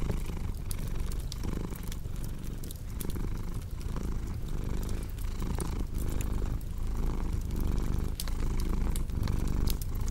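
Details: Low, vibrating purr of a cat, repeating in regular pulses, with frequent crisp pops and snaps of burning wood in a fireplace.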